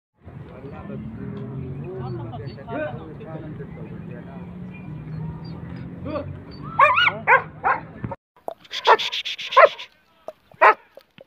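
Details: German Shepherd at a Peshawar, Pakistan seller's premises: about eight seconds of steady talking and background hum, then a run of sharp, loud barks in quick bursts near the end, with a voice calling "Jimmy".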